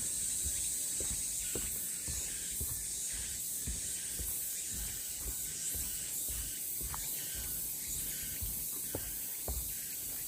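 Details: Cicadas singing along the Deogeumsan Solbaram-gil trail in Namwon, South Korea, on August 16, 2019. A steady, high, hissing drone runs unbroken through the clip, with soft low thumps beneath it.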